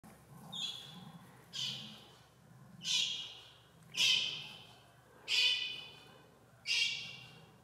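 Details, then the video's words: Jaguar cub calling out as if to say hi: six high, squealing mews that slide downward, each with bright harmonic bands, repeated roughly every 1.2 seconds against a quiet background. "Jaguar cub just wanted to say hi 👋"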